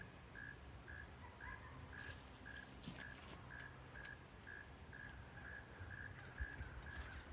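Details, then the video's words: By day at a small marsh beside a dammed pond, a frog gives short, evenly spaced, mid-pitched croaks about twice a second over a steady insect whine. "I don't know if that's picking it up, but you can hear the frog croaking."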